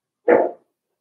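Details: A single short, loud bark from a five-week-old Cavalier King Charles Spaniel puppy in its pen, about a third of a second long, full-bodied, then silence.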